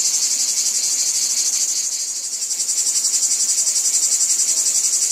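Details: Cicadas in a wheat field keep up a high, steady hiss that dips briefly around the midpoint before returning, pulsing in fast regular throbs.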